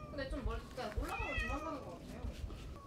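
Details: Farm-visiting domestic cat crying after climbing alone onto a house roof in Yongin during a heatwave; a pair of wavering, arched meows in quick succession, the second longer and higher, over low rumbling noise.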